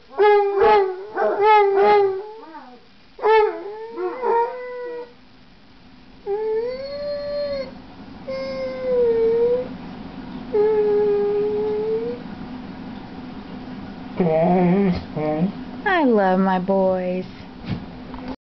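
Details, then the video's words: Floyd and Fred, two basset hounds, start with rapid baying barks, shift to softer drawn-out whining howls rising and falling in pitch, then end with sharp yips and higher whimpering cries. "Now THIS is why they call bassets "hound dogs"!"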